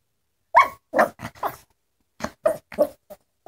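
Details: Dylan, a Yorkshire Terrier, trying to communicate with his owner: short grunting, whining bursts in two clusters, about nine in all, with brief silences between them.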